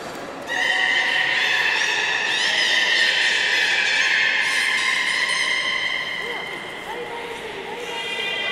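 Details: At Port of Nagoya Public Aquarium, Japan, on 11 August 2018, belugas moved between pools give a long, bright, buzzy harmonic squeal. It wavers slightly in pitch, then breaks into softer trailing notes.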